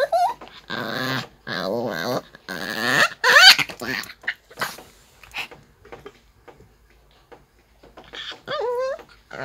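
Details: Bom the Maltese grumbles and whines in irritation while being brushed: wavering moans, a rising squeaky whine, quiet stretches, then a final high wobbling whimper.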